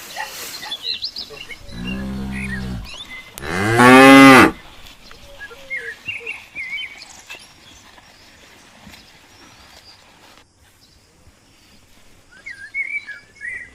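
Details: Cow at Sigeudok Hill, Lamteuba, that has just given birth to a calf, giving two deep harmonic moos about two seconds apart, the second loud and strained, with small birds chirping in the background afterwards.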